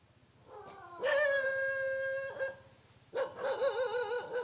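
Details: Villagers' dog living near a mountain, unhappy at meeting people: a loud, long steady howl held for over a second, breaking off, then a second wavering, quavering howl after a short pause.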